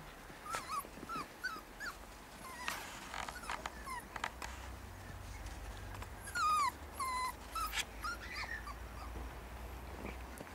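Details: Puppies playing in the snow give high, arching whimpers and short yips, scattered in bursts across the clip, some rising then falling, with soft rustling and crunching between calls.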